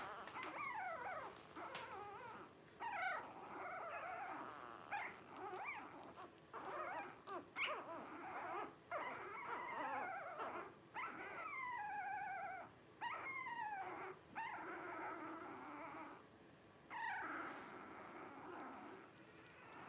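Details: Litter of five blenheim Cavalier King Charles Spaniel puppies, 12 days old, offspring of Paris and Spike. Steady whimpering and squeaking for twenty seconds, some cries sliding downward, over a constant hiss and occasional rustles.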